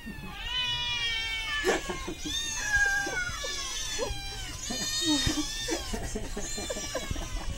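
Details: Several hungry cats meowing together in a noisy chorus, long overlapping wailing meows with rising and falling pitch, some harsh and drawn out, nearly continuous throughout.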